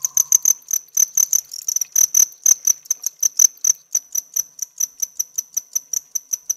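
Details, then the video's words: Cricket bred at home, recorded close up chirping by rubbing its hard outer wings: rapid high-pitched pulses, about four a second, steady and even, with a faint low tone at the start. "Cricket Chirping Close Up Cricket Sounds"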